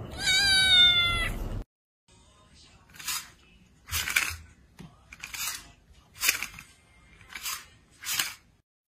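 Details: A cat having its fur shaved gives one drawn-out, strongly harmonic meow that rises then levels. Silence follows, then a series of short, rasping, hiss-like bursts repeating roughly every second.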